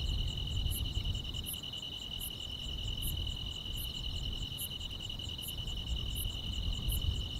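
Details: Grass insects on a summer night: a steady, shrill continuous trill runs throughout, overlaid by sharp high ticks repeating about every three-quarters of a second, above a soft low rumble of background noise.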